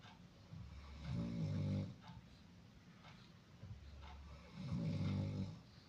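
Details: Dog named Koko, described as not sleeping today, breathing heavily indoors in a small room: low rumbling snore-like breaths, two long swells around one and five seconds, with quieter breathing between.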